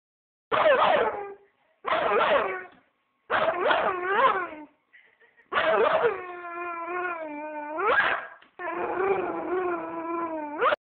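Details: American Staffordshire Terrier barking: four short, harsh, tonal barks about a second apart, then longer whining, drawn-out yelping cries that dip and rise in pitch, with a quiet background.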